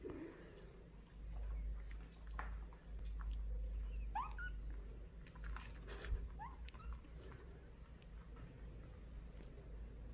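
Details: Kitten Hayangi, indoors, sweetly asking for a snack: two short, high, squeaky mews rising in pitch about two seconds apart, amid soft tapping, chewing-like clicks and a steady low room hum.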